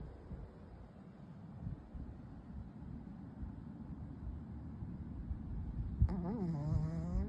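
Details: Nadeshiko, a Chihuahua sound asleep, snoring with steady low rough breathing sounds, soft and continuous, followed near the end by a brief higher wavering tone.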